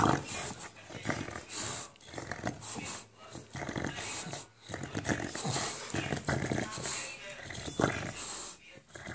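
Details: An English Bulldog playing with a ball gives rough, gravelly "monster" growls and snorts while a person talks over it.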